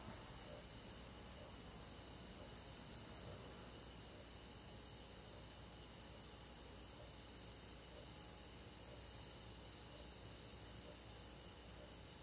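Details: Crickets and other insects on a summer night in a rural forest, a dense steady chorus of overlapping high, shrill trills holding without pause, with faint softer ticking lower down and no other clear sounds.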